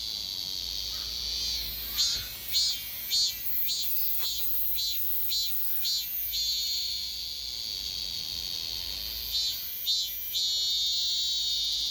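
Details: Gapyeong's Daegok-ri robust cicada, returning after one year: shrill, high buzzing delivered in evenly spaced pulses about twice a second, pausing into a steady drone, then a short burst of pulses and continuous buzz again.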